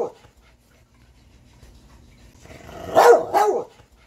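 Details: Catahoula dog giving two loud, sharp barks in quick succession near the end, after a long quiet stretch with only a faint low rumble.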